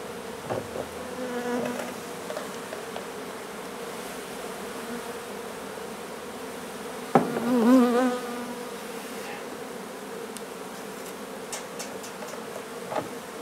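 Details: Steady droning hum of a honey bee colony being relocated from an old house in Donna, Texas, with a single bee's louder buzz swelling and fading as it flies close past midway, then faint clicks.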